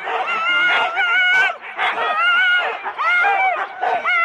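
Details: Four-dog Husky sled teams wait at the start at Rendlesham, January 2016, taped on analogue cassette. A chorus of eager, rising and falling yelps and whines comes in bursts, broken by brief pauses between dense volleys.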